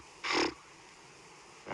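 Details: Blue wildebeest giving its nasal snort alarm call while wary of a safari vehicle at sunrise in October 2015; one loud, broad, noisy burst lasting about a quarter second, with the start of another at the end.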